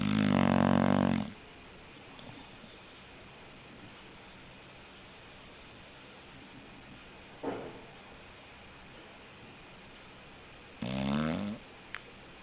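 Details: English bulldog snoring: a loud, rasping, buzzy snore of about a second opens, then long near-quiet breathing, a faint short snort midway, and a second harsh snore near the end.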